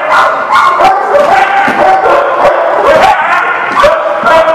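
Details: Crowded barking from a group of dogs, recorded March 23, 2019: sharp overlapping woofs and yelping barks in quick succession, mixed with a few whining, rising yips, keeping a steady loud din.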